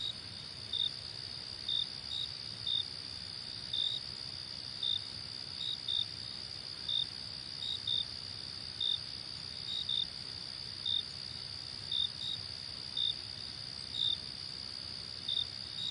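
Crickets trill in a steady high ringing, with short chirps repeating about once a second.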